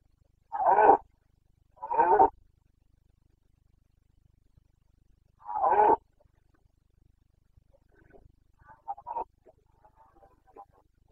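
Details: Red deer stag of the Carpathians bellowing in the rut, the boncănit of Bucovina, Romania, late September 2022: three deep, hoarse roars spaced a few seconds apart, followed by faint, broken grunts in a quiet forest.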